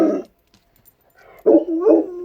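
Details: A Rottweiler gives a short, wavering, moaning howl after a brief opening yelp.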